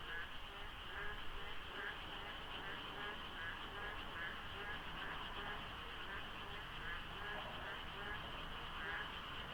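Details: Rainy-season frogs filling the dark before dawn at the Deokso IC expressway interchange, slightly foggy, few vehicles. Continuous layered croaking with quick repeated pulses and bursts of louder calls over faint low-pitched road noise.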